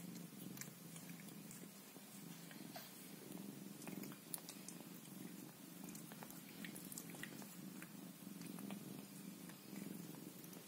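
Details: Scottish Fold cat mothering her kittens, purring in a rich unbroken drone that swells slightly in places, accompanied by frequent light clicks and licking-like ticks.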